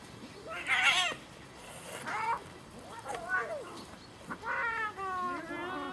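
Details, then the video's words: Cats in a fierce fight trade short, nasal, bending yowls, each sliding up then down, coming in bursts about a second apart with brief gaps between. "fierce fight of cats"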